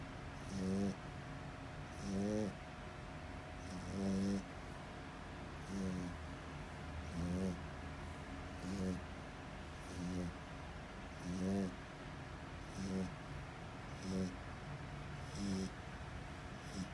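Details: Asleep French Bulldog giving loud, rattling snores, about eleven buzzy breaths in seventeen seconds at a slightly uneven pace, with constant low background hum throughout.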